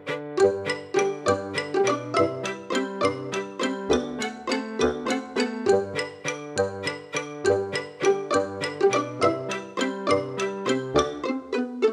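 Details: Plucked string music plays a lively, steady folk-like tune with a repeating bass line, and no animal sounds are heard.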